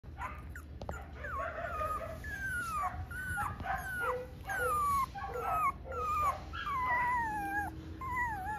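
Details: A small male Italian Greyhound puppy whimpers. Thin whistled whines slide downward, sometimes with a short upward flick, coming about one and a half times per second over a low steady background hum.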